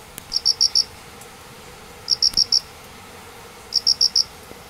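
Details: Pair of crickets singing out of sight under painted spurge following heavy rain at Minamioguni, Japan, 29 September 2016, active in the morning too; three crisp bursts of four shrill pulses, each about a second and a half apart.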